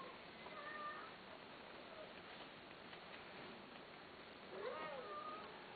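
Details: A cat kept for sale gives two faint, thin meows, one near the start and a bending one near the end, against constant low hiss.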